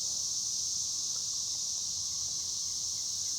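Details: Chicharras, also called cigarras, keep up a continuous shrill buzz, high and even in pitch and loudness throughout, with no other clear sounds over it.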